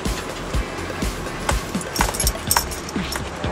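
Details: Rhythmic background music mixes with car interior noise and occasional clinks, and no animal sound stands out.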